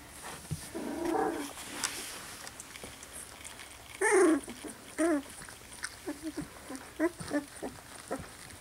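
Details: Poodle puppies of a Louisiana litter, slightly over two weeks old, make a burst of whimpering squeals followed by a string of short, high yips spaced about a second apart, with handling noise in the background.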